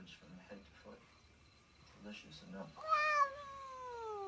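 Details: Indoor domestic cat meowing once near the end, a strong drawn-out meow that slides gradually downward, following soft human speech and quiet room noise.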